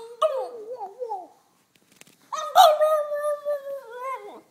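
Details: French Bulldog aged two, chatting in a relaxed way indoors: wobbling, babbling whine notes that rise and fall, a brief quiet gap, then a steadier sustained howled tone that dips at the end.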